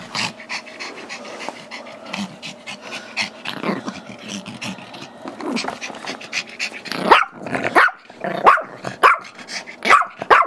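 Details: During play with a squeaky toy, Gizmo, a Chihuahua/Yorkie mix aged five, barks for the toy his younger Yorkie brother Tigger holds. After a long stretch of panting and rustling, a run of high, yappy barks begins and repeats roughly every half second.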